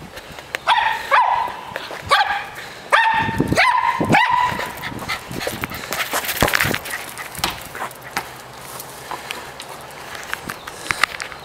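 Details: Dog playing with a ball, giving a few sharp high barks and yips in quick succession early on, then scuffling, thuds and clattering play noises with scattered short yelps.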